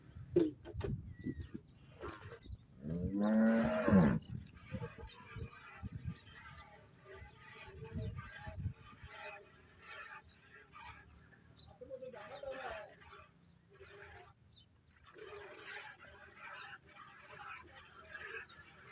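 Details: Cholistani Friesian cow offered for sale gives one loud, drawn-out moo that swells and fades over about a second, early in the recording. Men speak Punjabi before and after, with scattered farmyard clatter.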